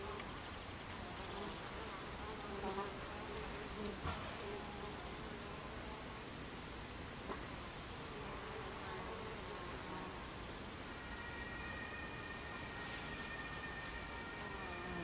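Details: Buckfast bees swarming around their hive entrance on a July 2013 afternoon, 14:30, make a continuous layered drone of wingbeats with fluctuating pitches, a few sharp ticks early on, and a steadier, higher whine joining in toward the end.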